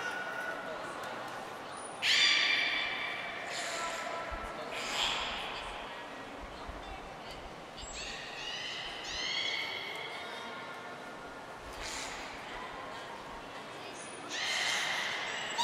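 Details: Belugas in training at the Port of Nagoya Public Aquarium, all animals taking part, 16 March 2024: several harmonic squeals and rising chirps rise over a noisy indoor hall, with short high whistle blips between them.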